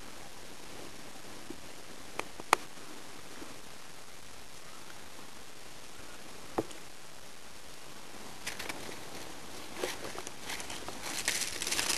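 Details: Faint room tone with occasional sharp clicks and taps, then rustling and hissing noise building toward the end.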